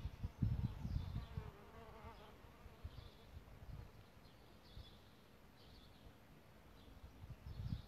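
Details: Solitary bees nesting in a bug hotel: a faint, low droning buzz with a soft harmonic hum early on, then fading into steady low rumbling background noise.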